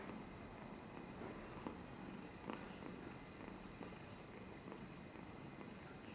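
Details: Amber, a polychromatic-coated domestic cat, purring while dribbling, recorded 13 July 2022: a steady low rumbling purr throughout, with soft faint clicks and a constant high electrical hum behind it.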